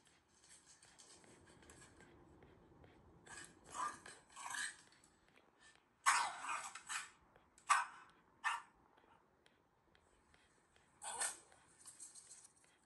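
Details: Indoors on the sofa after a walk on a sunny day, Shiba Inu Ranmaru watches himself running wild in the rain and gives a smiling "ke-ke-ke" pant. It comes as irregular short breathy huffs, some grouped in quick pairs, with quiet gaps between clusters.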